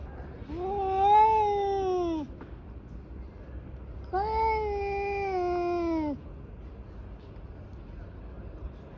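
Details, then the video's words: Tabby cat caterwaul during a fight between two tabbies: two separate moaning yowls of about two seconds each, slightly rising then sagging at the end, separated by a quiet pause. "狸花猫大战狸花猫 | Brawl of Two Tabby Cats"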